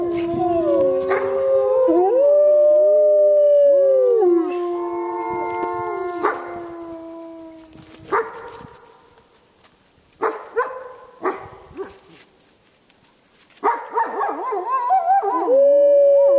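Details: Wolves at Lakota Wolf Preserve give long steady howls, two voices at different pitches, then fade into scattered short yips and barks before a final rising howl returns.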